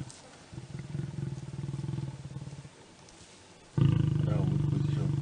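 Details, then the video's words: Lion mating with a lioness: a low, rapidly pulsed rumbling growl, a quieter stretch, a pause, then a louder throbbing growl for the last second and a half. "Lion mating lioness | Four times lion mating female lion Video | love of lion and lioness"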